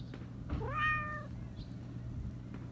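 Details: A black Persian cat with a high voice, which meows often, gives one high, clear meow that rises slightly before trailing off, over a low steady hum.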